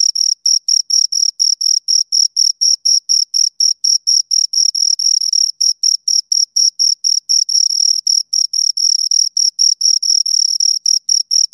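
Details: Pair of crickets stridulating near the microphone: a continuous series of short, bright, high trilled pulses repeated about twice a second, evenly spaced, over a quiet background.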